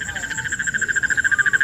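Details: Frogs calling in Dhaka, Bangladesh at Eid ul-Adha, stopping when approached and then starting again, give a fast, pulsing trill of rapid croaks that grows louder and more distinct.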